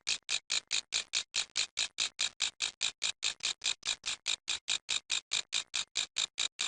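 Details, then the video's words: Grasshopper making noise: dry, raspy buzzing pulses repeated steadily about four to five times per second, each short burst high-pitched and scratchy, separated by brief clean silences; no other sounds. "How Grass Hoper Making Noise"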